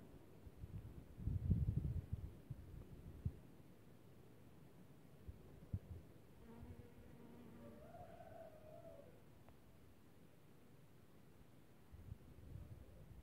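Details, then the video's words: Honey bees at spring squill flowers on 4 March 2024. A steady, low humming buzz with a slightly wavering pitch drifts past for about two and a half seconds mid-recording, after an opening burst of low rumbling wind or handling noise. "Albinele la viorele"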